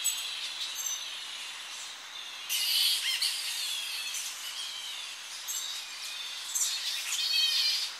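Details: Tonga flying foxes returning at early morning to coastal roost trees, heard close: a steady high chatter punctuated by sudden harsh, shrill outbursts, with thin quavering squeals running between them.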